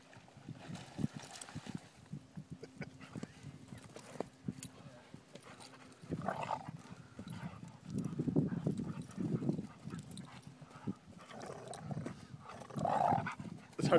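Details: Vizsla dog roughhousing in play with a companion: bursts of low, rumbling growls build in the second half, with scuffling thumps and a man's voice talking over the play.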